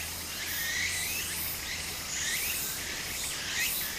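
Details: Cicadas in summer beside a flowing stream in Japan: a dense high hiss that swells and fades about every second and a half, with rising whistled notes over it and soft water noise underneath.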